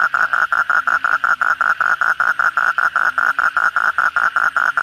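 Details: Many kodok bangkong toads call at night following a heavy downpour. One animal repeats short nasal croaking pulses at an even mid pitch, roughly two and a half per second, over softer low croaks from others.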